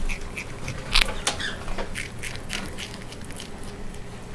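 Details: Miss Diggit, a female prairie dog, nibbling a graham cracker: sharp crisp crunches burst loudest near the first and second seconds, then settle into softer, quicker patter of chewing over a steady low hiss.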